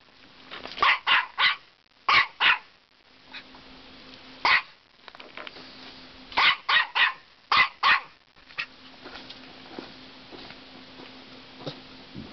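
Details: Norfolk Terrier, female, telling off an aggressive caterpillar under the deck at a cottage; sharp barks in quick bursts of two to four, about a dozen over twelve seconds, with a steady low hum behind.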